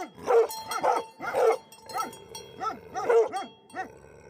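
Livestock guardian dogs bark in deep, booming bursts, roughly two barks a second.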